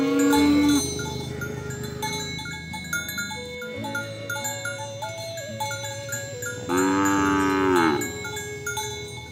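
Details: Cow calling friends to the pen while oxen are herded through muddy fields to the barn: two loud, drawn-out moos, one at the start and one near the end, over steady marimba-like music.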